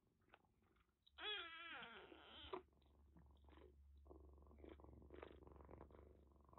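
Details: Rescued kitten with a bad cat cold, found soaked during record heavy rain in western Japan, now kept indoors at a Kagoshima kitten nursery: one long harmonic meow lasting about a second and a half, dipping then lifting, followed by soft rustling and a low steady hum.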